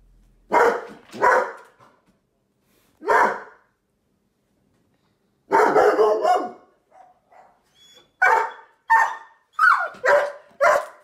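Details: Mr. Panda, a Sheepadoodle kept as a watchdog, barking indoors on guard duty: loud, harsh barks in bursts, two quick ones, a single, then a longer cluster and a rapid volley of five or six near the end.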